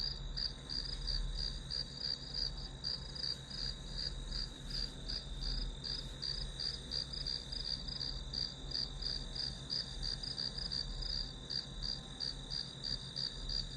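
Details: Grass insect chorus played as white noise while studying; even, high-pitched pulses run steadily about three per second over a continuous whine and faint low hum, no other sounds.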